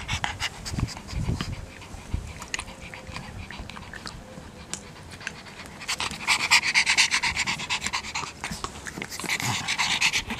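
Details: Pug panting in rapid, breathy bursts, about two per second, soft at first and then louder and rougher from the sixth second on, with faint snorting breaths between.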